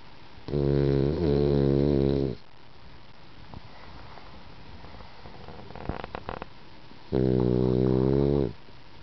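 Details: Bon, the eldest female French Bulldog of the household, sleeps indoors and snores: two long, rasping, buzzy snores of about two seconds each, separated by a quiet pause of roughly five seconds, with faint clicks in between.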